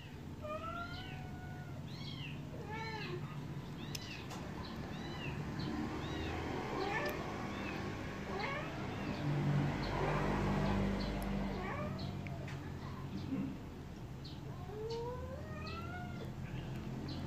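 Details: Baby kittens at milk feeding, calling in repeated high arching meows, busy at the start, scattered through the middle and in a quick run near the end, with a low rumbling drone underneath.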